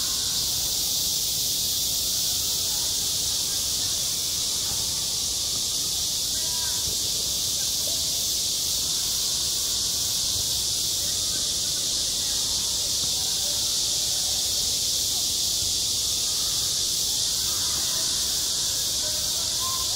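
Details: On a summer playground, cicadas drone in a continuous, even, high hissing wall of sound, with soft scattered faint sounds lower down.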